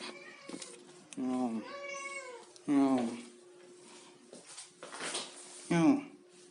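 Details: A domestic cat busy eating fish meows insistently: a quick chirp, then a rising-and-falling drawn cry, a strong short meow, and a final bent mew a few seconds later, over a faint hum.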